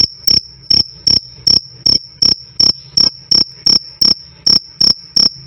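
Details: Loud, clear cricket chirping, a black field cricket among the types offered as a training tone for cage birds: sharp high pulses repeated about 162 times a minute, each a short ringing burst over a faint low hum.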